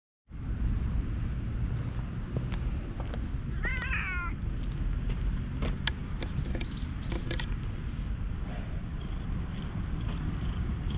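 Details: Stray cat brushed with a cat-grooming file, purring with pleasure, recorded on a GoPro HERO8: steady low rumbling throughout, a short drawn-out meow near the middle, and scattered clicks and rustles from handling.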